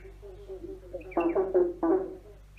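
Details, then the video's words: Frogs croaking under a bridge: after a soft murmur, two loud bursts of quick, rattling, pulsed croaks in close succession, with echo. "Frogs singing under a bridge"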